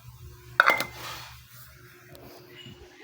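A metallic clink of dishes or a bowl over a low indoor hum, with no animal calling.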